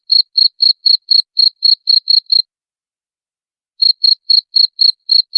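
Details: {'text': 'Cricket chirping, played as a sound to drive away rats: sharp high pulses repeated about four times a second, then a silent gap of over a second before the steady chirps resume.'}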